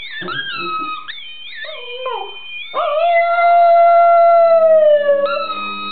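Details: Border Terrier singing to a squeaky ball at home: a few wavering, yodelling notes lead into one long sustained howl that holds steady, then slowly sags in pitch, ending with a brief squeak and a low background hum.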